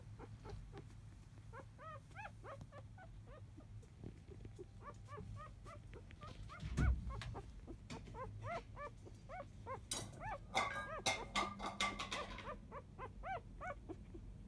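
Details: Four-day-old field-type Labrador Retriever pups from biscuit's litter whimper in their sleep: dense, repeated rising-falling squeaks, several overlapping, broken by a thump and rustling bursts of bedding noise near the end.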